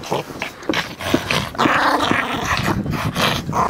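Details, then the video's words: Overexcited Yorkshire Terrier with a ball, growling and huffing in a rough continuous rumble mixed with short whimpers and sniffing noises, indoors. "Overexcited dog with a ball : Chien survolté avec un ballon"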